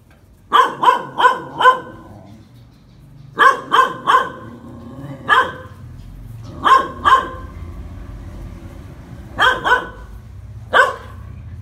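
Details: Phu Quoc Ridgeback dog training to catch snakes, barking in sharp bursts: four rapid barks, then three, a single bark, a pair, then scattered singles and pairs, about fourteen barks in twelve seconds over a low steady background hum.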